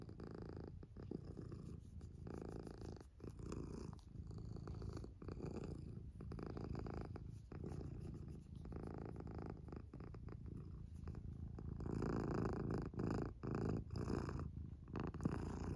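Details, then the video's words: A female tabby cat purrs steadily, a low rumbling throb pulsing about four times a second. "Tabby cat purring 😻"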